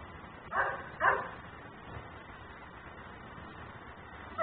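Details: Nuisance dog left outside, recorded by a camera in ten-minute cycles: two quick barks close together near the start, then quiet background hum, with another bark beginning at the very end.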